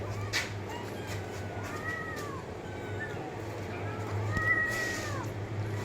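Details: Cat meowing in a series of arched mews, some overlapping, growing slightly louder toward the end, set against a steady low hum and light background noise.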